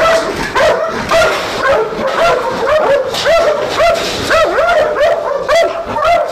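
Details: Trained Belgian Shepherd Malinois guarding an industrial site near Nafplio, Greece, give looping, rising-and-falling whines and sharp yips almost twice a second, several dogs overlapping in excited bursts.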